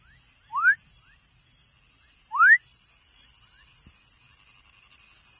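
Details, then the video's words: Two clear, loud rising whistles from a baby frog, under two seconds apart, each a fast upward slide, then quiet with only a faint high electrical hum. "Som de Rã filhote / Baby frog sound"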